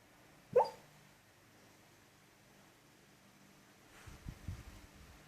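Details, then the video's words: Pet female dog asleep, barking in her sleep and snoring: one short, muffled, yelping bark near the start, a long quiet pause, then a cluster of low rumbling snorts toward the end. "Dog barking in her sleep and snoring funny"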